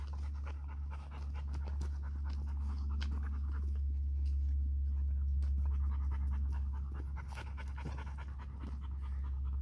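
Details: Female Vizsla puppy, 71 days old, indoors trying to play with an older male relative, her great uncle. She pants in quick, fairly regular breaths about four per second under a steady low hum, with a few soft knocks.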